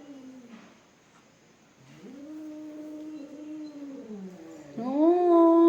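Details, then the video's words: Domestic cats fighting: long, drawn-out moaning yowls held steady, sliding down, then a sharp rising wail that swells loud at the end; no other clear sounds. "Cat fighting videos"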